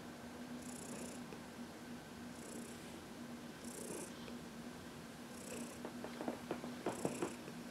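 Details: Massaged in the sun, the senior cat Heidi, adopted from the Humane Society of New York City, keeps up a low continuous purr; soft breathy bursts recur every second or two, and light clicking taps come near the end.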